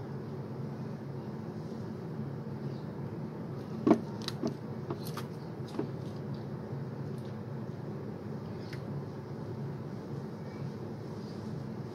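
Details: Low steady hum of traffic with a few sharp clicks and knocks like a door or cupboard, and no animal voices.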